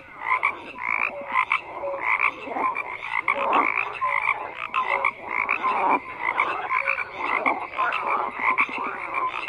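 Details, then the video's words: Dense frog chorus with pulsing croaks rising and falling in loudness, rattling trills and short tonal pips from many individuals at once. "FROGS CROAKING"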